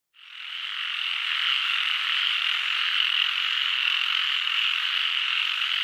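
Many frogs call together in a thick, unbroken chorus. Their high-pitched, fast trills overlap into a continuous shimmering drone that holds steady throughout, with no other sounds standing out.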